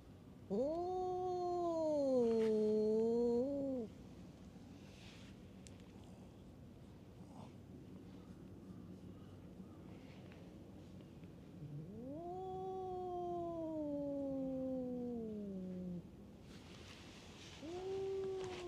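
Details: Fighting stray cats at a tavern on a cat island trade drawn-out, moaning wails. A rising then falling yowl of about three seconds is followed by quiet, then a second long, slowly descending howl and the start of a third.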